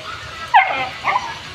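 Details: Jerry the brown Labrador Retriever on a rainy day, letting out two brief, high whining yelps about half a second apart over a steady low background hiss.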